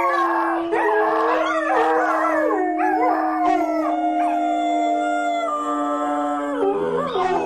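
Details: Group of dogs howling, a long steady low tone held for nearly seven seconds under higher voices that rise, fall and waver, ending with a pitch drop and a new lower howl.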